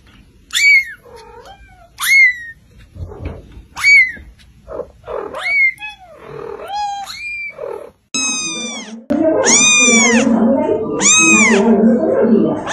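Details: Kittens meowing constantly: high, thin mews with a sharp downward sweep repeat every second or two, followed by louder, longer arched cries close together, all over a faint low hum.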